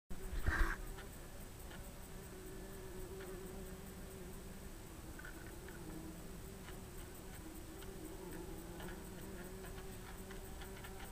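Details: Bumblebees inside their nest, giving a steady, low, droning hum that holds throughout with slight wavering, after a brief sharp knock at the start.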